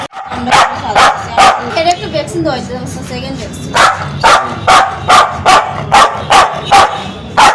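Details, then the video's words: Angry Spitz dog barking harshly, a wavering, whiny stretch in between, then a steady series of sharp barks about every half second. "Spitz Dog🦮 || Aggressive dog🐾 || Barking dog || Angry dog || Dog sound effect"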